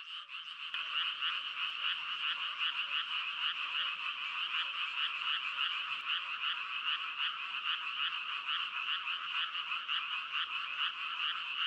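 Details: Many frogs calling together as one continuous pulsing drone of rapid, overlapping croaks, with a faint low rumble underneath.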